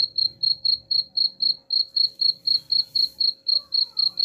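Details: Rat-repelling cricket sound: rapid, evenly spaced high chirps about four per second, over a soft low murmur and a brief faint descending tone near the end.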